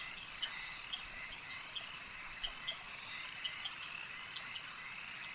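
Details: Lakeside frog chorus with sharp, high, chirpy peeps that come in loose bursts. They sit over a continuous shimmering insect-like hum and a faint low rumble.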